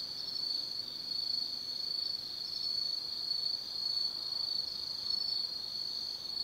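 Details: Many autumn insects calling after dark in the woods of Tsukimi no Mori, Gifu Prefecture, Japan: a bright, sustained high-pitched trill, constant and slightly wavering in loudness, the only sound present.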